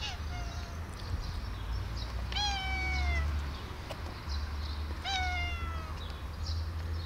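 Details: Sweet Bun, a female house cat, keeps meowing for a long time, not understood by her owner; three clear, drawn-out meows, each sliding gently downward, about every two and a half seconds, with faint high ticking and a low background hum.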